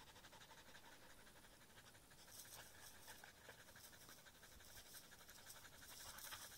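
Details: Fast, even panting from Aiza the husky beside reeds, about four hissing breaths a second, growing slightly louder toward the end.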